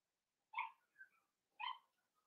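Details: Blenheim Cavalier King Charles Spaniel puppies, a litter of five born around New Year's, in an indoor home puppy pen; two short tonal whines with bright harmonics about a second apart, each trailing into a softer squeak, in a quiet room.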